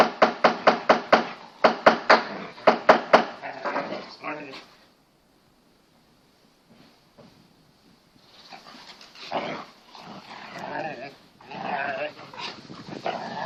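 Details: Two Kangal Anatolian Shepherds at play in a garden, a 6-month-old pedigree male puppy and an 18-month-old female collie cross; rapid repeated barks for about four seconds, then silence and a person talking.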